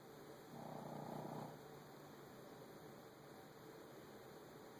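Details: Shih Tzu Frankie snores through his nose. A single rough, breathy snort lasts about a second near the start, then fades to faint breathing over a constant low indoor hiss.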